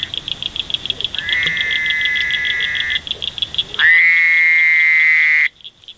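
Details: Male Fowler's toad croaking in the wild in Indiana: a softer nasal buzz held for nearly two seconds, then a louder, harsher bleating drone of about one and a half seconds, set against a rapid, even pulsed trill from other callers.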